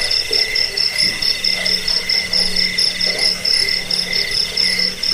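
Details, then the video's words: Cricket chorus sold as a rat repellent, sleep aid and bird-training track; a bright high trill beats steadily in quick pulses while lower chirps come in short groups, over a faint steady low hum. "Suara jangkik pengusir tikus pengantar tidur"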